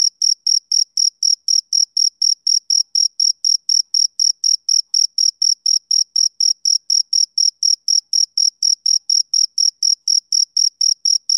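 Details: Rhythmic male cricket chirping typical of summer evenings, a long regular series of sharp high pulses around four per second, uniform in loudness, with a clean silent background.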